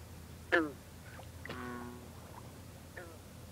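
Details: Green frog, or bronze frog, calling at night from water with mist rising in cool, humid air. A sharp, banjo-like twang opens, a lower drawn-out drone follows in the background, then a softer twang.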